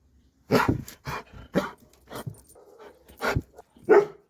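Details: Dobermann barking repeatedly indoors, six loud gruff barks at irregular intervals of roughly half a second, with low rumbling between them.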